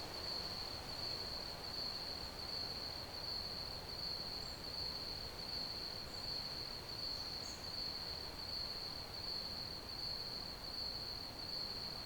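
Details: A continuous, high, finely pulsed cricket trill runs unbroken from start to end, with a few faint higher chirps and a steady wash of hissing background noise.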